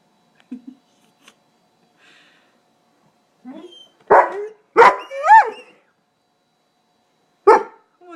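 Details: Krauser, a dog driven crazy by rain, barks indoors: a few soft grunts, then three loud barks close together, one rising into a brief whine, and another bark after a pause.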